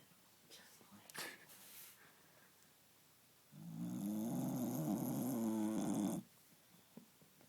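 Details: Cookie, a pet dog, snoring: a single long, rough, buzzing snore of about three seconds in the middle, low and wavering, framed by near-silence with a few soft knocks.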